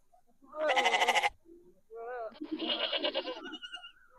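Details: Goat bleats from a herd with a kid, reacting to a played goat sound: a strong quavering bleat, a brief pause, then a longer rough, trembling bleat with a softer wavering tail.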